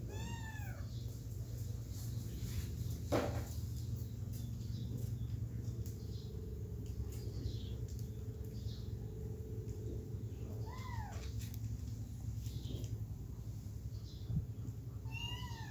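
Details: Kittens hoping to get back to their mother give sparse, arched meows with harmonics, one at the start, one near the middle and one at the end, separated by long quiet stretches over a steady low hum and an occasional knock.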